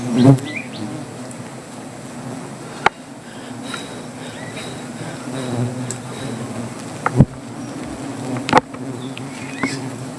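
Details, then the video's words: Honey bees, described as angry, droning around their comb during honey harvesting under a tree; a low, even buzz with scattered sharp taps and a few thin higher chirps. "রাগী মৌমাছির"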